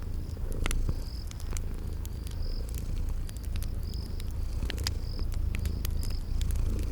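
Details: Sleeping cats purring in a relaxing fireplace and spring garden soundscape: a soft, low, constant purring rumble beneath frequent crisp crackles from the fire and short, high chirping insect notes repeated roughly every second.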